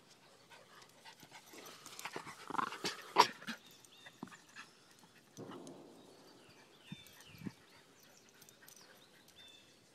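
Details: Daisy and Rose, Miniature Pinscher / Rat Terrier mix dogs, playing fetch outdoors on April 30: breathy panting and huffing bursts with sharp clattering knocks around the middle, then quieter rustles, and faint high whistled bird notes toward the end.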